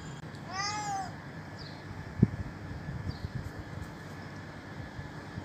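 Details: Hungry old stray cat at a doorstep, begging for food: one clear, drawn-out meow that rises then falls, lasting about half a second, followed by quiet with low background rumble and a single sharp knock.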